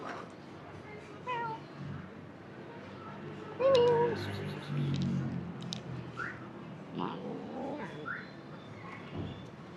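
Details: Cat meowing indoors in a quiet room, several drawn-out, wavering meows rising and falling, one louder and longer near the middle, with soft rustles and faint background noise between calls.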